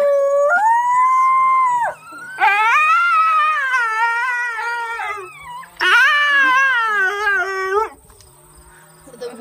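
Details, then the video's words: Coyote howling at Aspen Valley Wildlife Sanctuary: three loud, clear, drawn-out howls, each about two seconds long. The first rises and then holds steady; the next two waver up and down. Short pauses separate them, and the end is quieter. "Coyote Howl"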